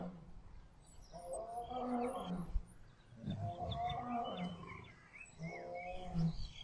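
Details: Lion with a lioness during mating, wild: three drawn-out, rasping growls of about two seconds each, separated by short pauses, while small birds twitter in the background.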